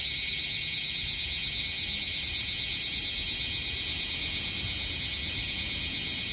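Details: Several bear cicadas (Cryptotympana facialis) massed on a potted tree on artificial turf in Minokamo, Gifu, Japan, July 13, 2024; loud continuous high buzzing chorus with fast regular pulsing throughout.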